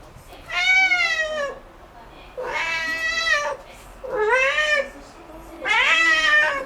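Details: Domestic cat meowing noisily indoors after finding a bug: four long, drawn-out meows of about a second each, rich in harmonics, bending up then down, spaced roughly every one and a half seconds.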